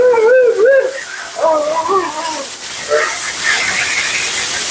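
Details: Mila the Siberian Husky complaining while being bathed and blown dry on her second groom: two wobbly yodelling phrases in the first seconds, then a steady hiss of spraying water or blower covering the rest.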